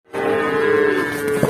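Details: A rampaging cow in Indonesia, running loose toward a roadside stall while goats nearby also turn agitated; one long, steady, tonal moo held for more than a second with rich harmonics over a faint noisy background.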